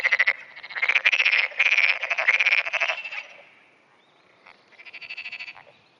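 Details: Black-spotted pond frog calling in early morning, June 2009, answering surrounding frogs: rapid pulsed croaks in bursts of about half a second, several in a row, then a pause and a softer, more distant burst near the end.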